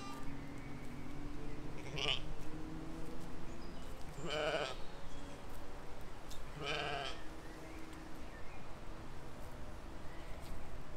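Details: Grazing sheep and lambs in a field, filmed in spring 2020: three wavering bleats spaced about two and a half seconds apart, the middle one longest, above a constant low rural hum and faint birdsong.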